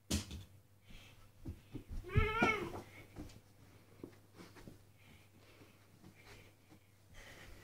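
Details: House cat Sadie, indoors, lets out a single wavering, drawn-out meow in the middle of otherwise quiet room noise with faint clicks and shuffles.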